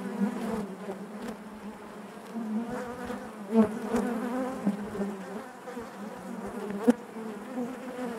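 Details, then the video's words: Steady droning of honey bees in their hive, a rich low hum with stacked overtones, punctuated by a few sharp clicks that stand out from the buzz. "bees therapy hive natural buzzing sound"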